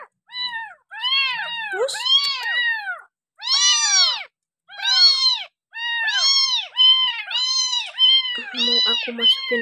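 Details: Bottle-fed village kitten, dumped by its owner and taken in by a family, meows almost continuously in arching, harmonic-rich cries, overlapping with brief human speech and a soft lower rumble near the end.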